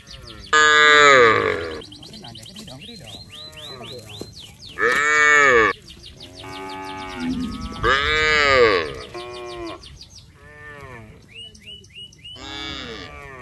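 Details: A village herd of cattle heading to the rice fields, calling to each other: several loud, arching moos from different animals, overlapping with quieter lows and short higher calls in the background.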